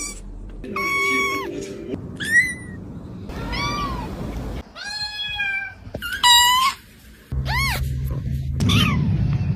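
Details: Kitten meowing: about eight short, high, clear mews, some falling and some arching, spaced roughly one second apart, with faint low background hum between them.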